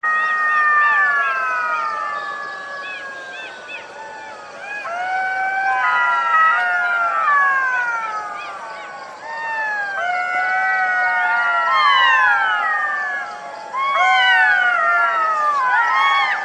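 A group of golden jackals howls together, their voices overlapping in high, wavering wails that slide down in pitch. Bursts of rapid yipping rise and fall in waves, pausing briefly before the chorus swells again.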